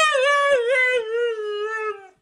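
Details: Female pet dog vocalizing in a 'talking' howl while her owner asks about going outside: one drawn-out, smooth, mid-pitched tonal note with a brief wobble early on, gradually sliding lower and fading after two seconds.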